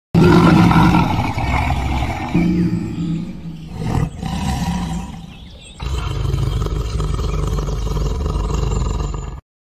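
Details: A lion's deep, rumbling roar, low and sustained, swells and fades in long throaty pulses with a brief break midway.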